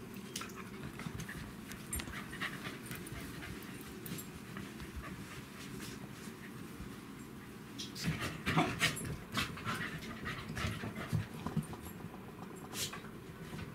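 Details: Panting Welsh Corgi during a meeting between brothers Len and Stephan, siblings of Roku, recorded 18 February 2017: fast, steady breathy huffs, about four per second, grow louder past the middle, with light clicks and a soft background hum.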